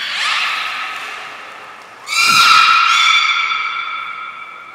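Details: Belugas Gray, Nana and Mirai training at Port of Nagoya Public Aquarium, 10 February 2024. A fading harmonic call gives way to a louder, rich, sustained call that opens with quick sweeping, descending squeals, then holds an even, slightly nasal tone.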